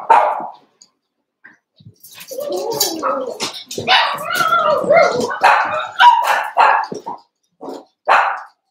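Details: Cavalier King Charles Spaniel puppies, eight together in an indoor pen, wrestling and playing at about seven weeks old; dense overlapping high yips and squealing barks tumble over each other, with brief quiet gaps before and after the scuffle.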